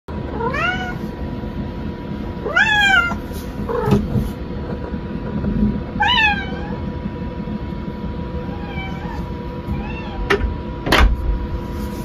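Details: Pet cat, a kitten, meowing after its owner went to the restroom: repeated rising-then-falling harmonic meows, about five calls spread across the clip, some short and high, with a steady low hum and faint clatter in the background.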